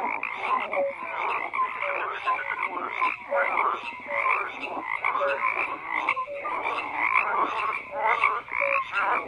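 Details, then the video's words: Chorus of croaking frogs, thick and continuous, with overlapping raspy croaks and brief whistled blips recurring roughly every second against a steady wall of calling. "FROGS CROAKING"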